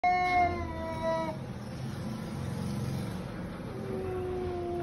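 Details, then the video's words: Cats in a fight: one long harmonic yowl held for over a second, then a drawn-out lower moaning wail rising from steady background noise. "Cat fight"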